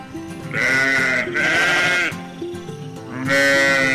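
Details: Domestic sheep, described as a docile animal giving wool, milk and meat, bleating three times in drawn-out, wavering, nasal cries of about a second each over steady background music.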